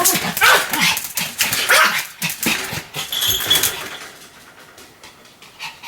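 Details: Sam the Pomeranian in a spell of continuous barking: a fast string of sharp yaps, about three per second at first, fading toward the end.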